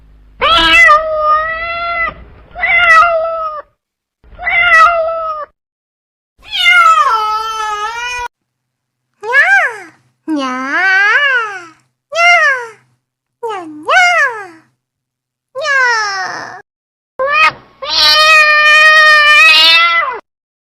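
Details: Cats, from a compilation of baby cats, meowing in a quiet room: about ten separate high, harmonic meows, some short and flat, others bending down then up, spaced irregularly with brief silences between.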